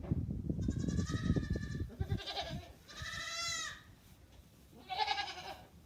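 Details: Goat bleating in four wavering, nasal calls, each under a second long apart from a longer first one, with rumbling low background noise throughout.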